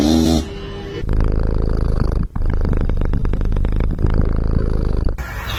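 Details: A sleeping pet cat snores before its owners wake it: a low, rapid, rumbling pulse that runs steadily for about four seconds with one brief break.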